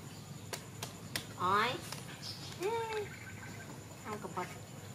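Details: Baby monkey Donal calling to its mother while waiting for milk: two squealy, harmonic calls, the first rising and wavering, the second a short arched whine, with soft clicks and taps in a small indoor space.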